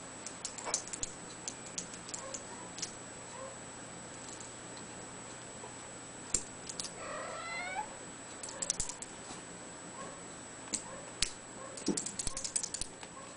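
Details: Two-month-old blue point bicolor Ragdoll kitten giving a short run of soft rising-then-falling meows near the middle, with scattered clicks and tapping sounds before and after.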